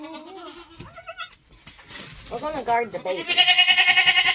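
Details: Nigerian Dwarf goats being born on a homestead in kidding season. Human voices come first, then a loud, quavering, high bleat pulses rapidly and evenly through the final second.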